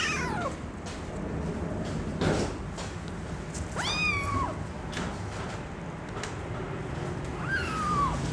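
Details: Small female Singapura kitten, born at home to CFA champion parents and still nursing, gives thin high meows: one sliding downward at the start, a longer rising-then-level meow midway, and a falling one near the end, over faint rustling and bumps.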